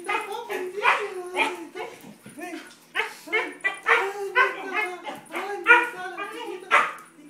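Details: Siberian Husky excitedly greeting its owner after several days apart: a run of wavering, yodel-like whines and howls, rising and falling, near-continuous with brief pauses.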